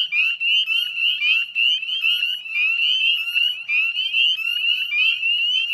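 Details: Northern spring peeper chorus at dusk, 18 May 2020, by the Chezzetcook salt marsh in Nova Scotia, Canada: loud, closely spaced upward-sliding peeps from numerous frogs, pulsing slightly in intensity.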